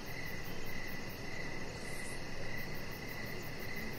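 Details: Outdoor evening scene on a deck with crickets calling. Shrill pulsed chirps repeat steadily over a low droning background, with a brief hiss partway through.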